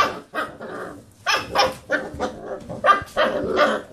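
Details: A few rough, growly barks from Basset Hound puppies playing around a computer chair, about one a second, mixing low grumbling tones with brighter yelps.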